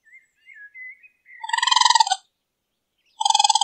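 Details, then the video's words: A raccoon calling at night, compared to twirling cotton candy. Faint gliding whistles lead into a rapid pulsed, buzzy trill, then a second short trill after a pause. "Raccoon sounds like twirling cotton candy. Raccoon noises at night."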